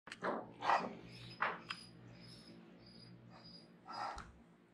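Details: Dexter, a young male Great Dane, begs nonstop to go outside as soon as his collar goes on, giving short sharp whining yelps in quick succession, then a pause before one more, inside a quiet room.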